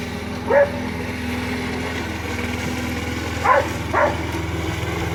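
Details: Border Collie named Pete barking as he herds a lawn mower: one quick bark, then a pause, then two more close together, all over the constant low hum of the mower engine.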